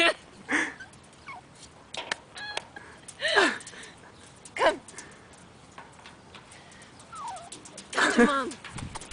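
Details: A Yorkshire Terrier whimpers in short, high, falling whines that repeat several times with pauses between them. A person calls the dog with repeated words.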